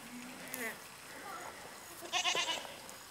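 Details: Young goat kids kept as cuddly pets bleat in short wavering bursts, one brief cry early on and a louder, stuttering bleat near the end, mixed with soft human voices.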